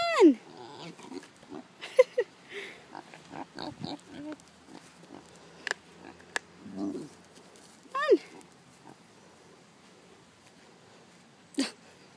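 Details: Stubborn pig that refuses to go into the house and plops down on the ground; sharp descending squeals at the start, near eight seconds and near the end, with grunts, rustling and clicks between.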